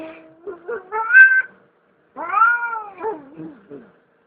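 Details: Domestic cat uttering two drawn-out wavering meows, the first rising to a strained peak, the second arching then breaking into shorter falling notes, with a brief pause between.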